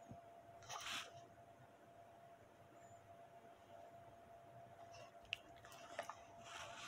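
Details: Bully dog chewing steak indoors, bursts of crunchy tearing bites near the start and again toward the end with sharp clicks, quieter gap between, faint steady hum behind.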